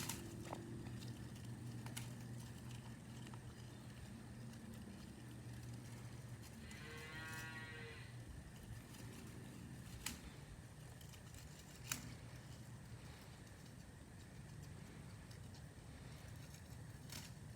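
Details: A pygmy goat having a quick snack gives a single wavering, nasal bleat over a low background rumble.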